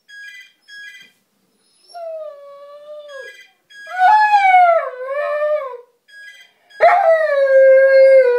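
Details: Bob, a pet border collie, singing along when the phone rings: bursts of electronic ringtone beeps alternate with his loud, wavering tonal howls that rise, dip and sustain for a second or two.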